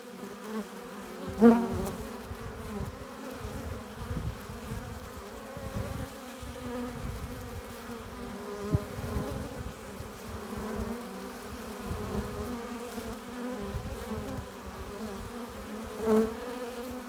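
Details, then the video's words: A busy beehive entrance, with honey bees arriving carrying pollen and nectar. A constant layered hum from the swarm is broken by a few sharper, louder buzzes as single bees pass near, around the start and end. "15 minutes of bee hive entrance! Relaxing sounds! Buzzing sound efects"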